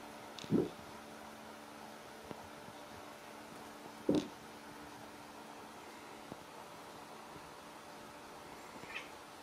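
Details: Ragdoll kittens at play indoors; two short, low meows about three and a half seconds apart, then a faint, higher squeak near the end over a steady room hum.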